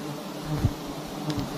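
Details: Honeybees swarm around a very large nest hanging from a tree in a palm garden, a low droning hum with soft clicks and a brief knock midway.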